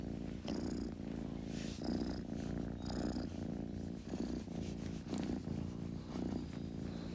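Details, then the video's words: A kitten purring: a steady low rumble that swells and eases with each breath, about one breath cycle every 1.2 seconds, with a soft airy hiss on some inhalations. "Kitten Purring Sound Effect"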